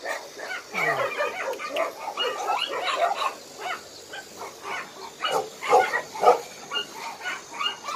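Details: Abandoned dogs at Hanna's shelter, a Daegu rescue shelter, give scattered, uneven barks and yaps, busier at first, then quieter, with a few loud barks standing out toward the end.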